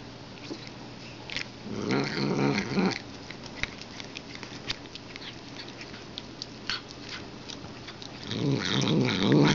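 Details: A cat gives two low, rough, buzzy growling bursts, one at about two seconds and another near the end, with faint clicks and soft thuds in between.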